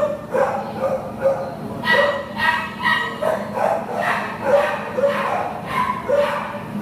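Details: Labrador Retriever, a shelter dog up for adoption, recorded 6/2/2015, giving a run of short, sharp barks roughly every half second to second, with indoor room noise and some human voice in the background.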